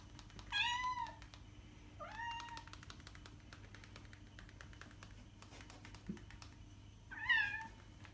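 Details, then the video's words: Domestic cat meowing, played to attract cats: three drawn-out harmonic meows, each about half a second, with soft clicking and tapping noises between them and a steady low hum in the background. "miauende katze sound um die Katzen anzulocken"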